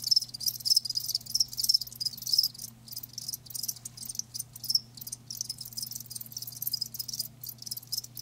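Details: Live crickets give fast high trilled chirps, busier at first then thinning into scattered bursts with short silences, against a soft continuous low hum.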